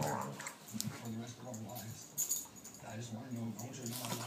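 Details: Two dogs at play, a nine-year-old pitbull blind since birth and a sixteen-week-old rottweiler puppy. Low, droning growls with steady harmonic tones run through most of the stretch, with brief sharper sounds and voices in the background.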